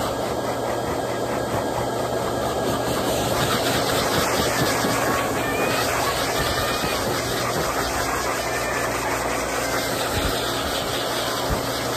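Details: Loud continuous airy hiss, like a blower or dryer running, with a steady hum underneath and no animal sounds.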